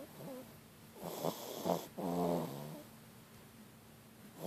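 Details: Snoring French Bulldog, softer and breathier: a faint wheeze, then two short snorting puffs, followed by a longer fluttering snore on the inhale. Quiet room tone fills the rest, with another brief snort just at the close.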